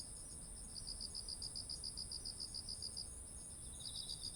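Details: Autumn insect chorus beside ripe rice paddies: a regular series of high chirps fading in, stopping briefly, then resuming, set over an unbroken high ringing drone.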